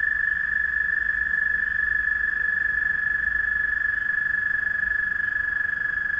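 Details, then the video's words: Night chorus of frogs calling one another: one continuous, fast-pulsing high trill at constant pitch and loudness runs through all six seconds, with a soft low hum underneath. "Frog Trilling"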